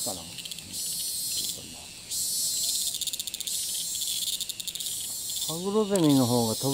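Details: Cicada in Thailand, filmed from a distance, which keeps flying to new perches and resumes calling right after landing. A loud, hissing high buzz swells and pulses throughout. A lower sweeping voice-like sound enters near the end.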